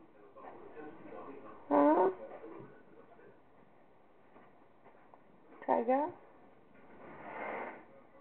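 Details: Pet cat named Tiger, described as not wanting to talk, gives two short harmonic meows about four seconds apart indoors, while a woman chats to her around them.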